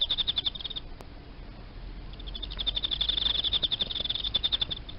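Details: Captive Emma field cricket kept as live feed, singing high, clear pulsed chirps in rapid trains, a short burst at the start, then a pause, then a longer steady run to the end, over faint low hum.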